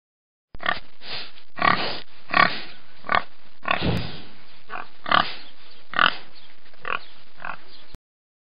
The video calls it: pig oink